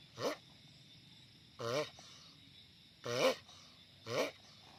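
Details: Giant sulcata tortoise making loud noise: four strained, wavering, harmonic calls, each under half a second, spaced roughly a second apart, over a steady background hiss.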